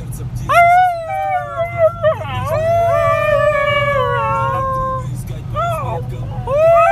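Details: Hasya, a one-and-a-half-year-old Siberian Husky, howls in a car on the road in Ekaterinburg, Russia, on 26 January 2018, joining people singing to the radio. Long, wavering, melodic howls rise and fall over a steady engine hum.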